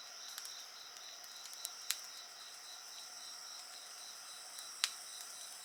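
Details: Insects singing beside a bonfire: steady high shrill trilling with a pulsed chirping line repeating several times a second, under sharp crackles and pops from the burning fire.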